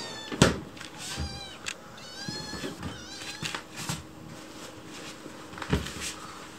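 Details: A white rescued kitten named Chicchi pleads sweetly for food when a person is in the kitchen. Several thin, high meows with bending pitch come in quick succession, over household knocks and cupboard sounds.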